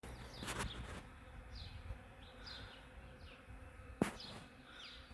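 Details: Hundreds of honeybees harvesting from a flowering ornamental cherry tree in the morning, heard from a porch: a steady low droning hum, with small birds chirping above it and a couple of sharp knocks.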